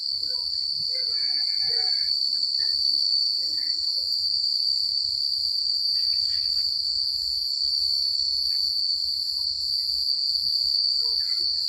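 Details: Crickets chirping at night in a secluded countryside setting: a steady, dense high trill runs unbroken throughout, with faint scattered chirps and soft low rustling underneath.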